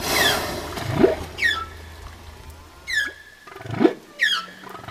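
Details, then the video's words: Humpback whale song phrase of short high chirps sweeping downward, alternating with brief rising low grunts, repeated about every one and a half seconds over faint background rumble. "Sound of whale (Song of the humpback whale)"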